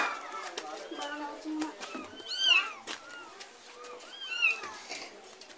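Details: Cats heard as a mother cat follows her kitten from a neighbour's house: thin, bending meows, some rising sharply, come roughly every second or two under steady indoor chatter and voices.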